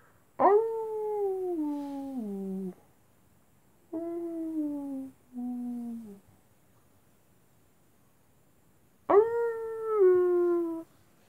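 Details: Night-time wolf howls in a series: a long howl sliding downward, two shorter, lower howls close together, then a pause before a final howl that holds level and swells near its end.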